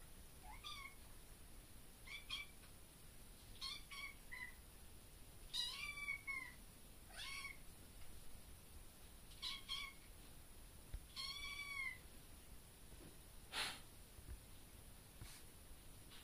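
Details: A baby kitten in a bedroom gives short, high, thin meows, one every second or two. The owner thinks he is meowing at a bug in the room.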